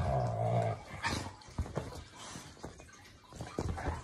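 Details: A Labrador Retriever and an English show Cocker Spaniel play fighting together on a sofa at home in the morning. The clip opens with a steady, low, droning growl, then breaks into short grunts, snaps and rustling movement.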